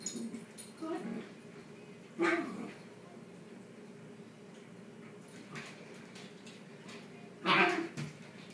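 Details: Shiba Inu pets tugging at a toy together: two loud, harmonic yelping whines about five seconds apart, with fainter scuffling clicks and a low constant hum between them.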